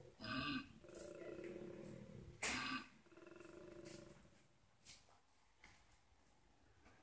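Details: Male koala bellowing from a garden tree to signal territory and dominance to far-off koalas: a few harsh snorting roars and rasping pulses, then fading grunts, with a person's voice briefly nearby.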